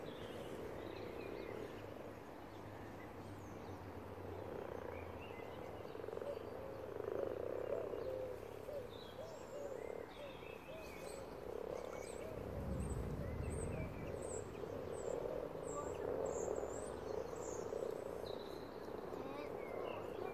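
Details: Over a hundred common frogs spawning together in a pond; a dense, low, rolling croak chorus continues throughout, rising in places, with a low rumble midway and faint bird calls above.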